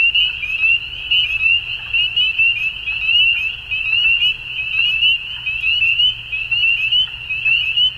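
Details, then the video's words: Chorus of frogs at dusk, many voices merging into one continuous high-pitched trill that throbs unevenly in loudness, with faint chirping notes above and a soft low background hum. "Frogs At Dusk"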